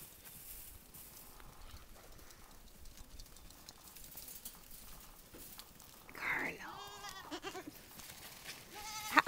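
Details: Young goat kids playing in a farm yard on Mother's Day bleat a few times near the end, short wavering harmonic cries over quiet background and distant voices.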